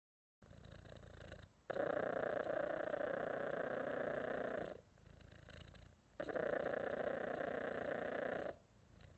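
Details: Domestic cat purring in long, steady rumbling stretches, each lasting about three seconds, separated by quieter breathing pauses; a dense buzzy texture throughout, with no other sounds.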